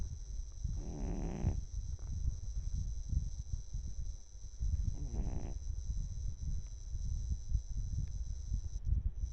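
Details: Sleeping cat, twelve years old, giving two hoarse rattling snores about four seconds apart, with loud low background rumble and a steady high electronic hum throughout.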